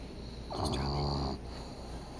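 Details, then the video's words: A sleeping dog snoring before it wakes to the smell of food; one drawn-out, low, rattling breath with a nasal buzz lasts under a second, over a steady background hiss. "Snoring dog wakes to the smell of food"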